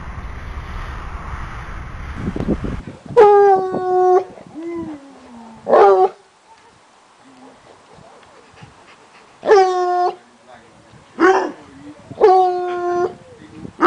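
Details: Otterhounds at play in a garden, puppy Biggles with Hope and visiting Fellow; about five sharp, harmonic yelping whines, each under a second and separated by quiet pauses, plus one drawn-out falling whine.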